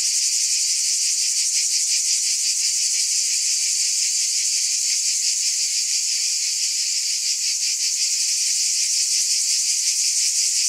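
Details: Cicadas in a dense, unbroken buzzing chorus, a bright high hiss with faint rapid pulsing throughout and steady loudness, no other sounds.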